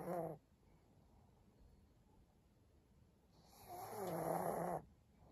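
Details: Senior pug dog indoors, recorded 14 April 2022: a short rasping snore at the start, then a quiet pause and a longer, louder, throaty snore lasting over a second, with harmonic rumbling.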